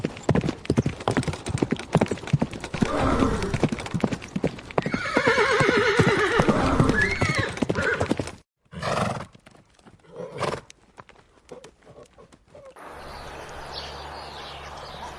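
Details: Horses trotting with busy clip-clop hoofbeats while quavering, vibrato-laden whinnies sound in the first half; then a few separate snorts or short calls and quieter background noise.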